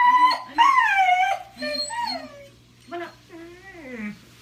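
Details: Blind puppy in pain whimpering: high, wavering whines that rise and fall, several drawn-out cries in quick succession, some breaking into squeaky yelps, with a steady low hum underneath.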